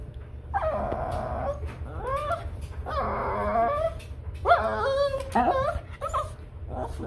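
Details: A Shih Tzu cries for a cat in long, wavering, howl-like whines that bend up and down in pitch. Short yelping notes come between the longer cries, with a low hum in the background.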